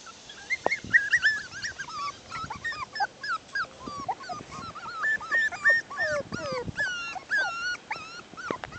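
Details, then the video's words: Bichon poodle mix puppies, a litter six weeks old, playing outside: a busy chorus of high whiny whimpers and squeaky yips, many overlapping, rising and falling quickly, with short sharp yelps scattered throughout. "Too Cute: Bichion Poodles 6 weeks old Playing outside"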